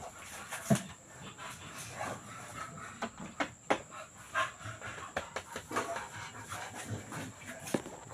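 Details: Cane Corso dog breathing in quick, irregular breathy bursts, roughly two per second, with scattered louder huffs and a faint steady high whine in the background, indoors.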